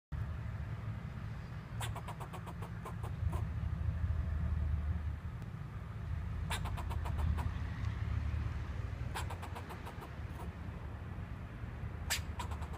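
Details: Squirrel on a wooden fence giving bursts of sharp, rapid clicking chatter, each run lasting about a second and recurring several times, over a constant low rumble of a running vehicle engine or traffic.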